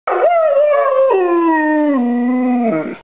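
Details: A dog gives a sustained, throaty howl of about three seconds, starting mid-pitched then dropping in steps to a low, rumbling, Chewbacca-like groan before trailing off; it had been howling for about ten minutes.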